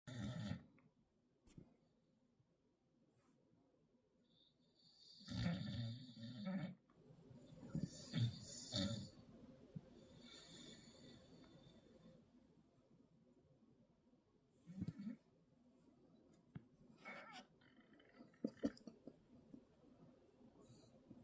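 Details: Young dog, tagged as pit puppy and bulldog, snoring loudly indoors while trying to sleep; low rumbling breaths rise and fall, with a few noisy louder snorts around the middle.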